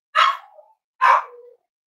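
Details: Cavalier King Charles Spaniel barking indoors on a warm Friday morning at a home raising emotional support dogs; two loud, bright barks about a second apart, each trailing off into a brief lower tail.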